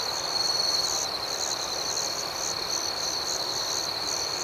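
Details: Crickets at night, chirping in a steady high-pitched chorus: a continuous shrill trill runs underneath while higher rhythmic chirps pulse above it throughout, with no other clear sounds.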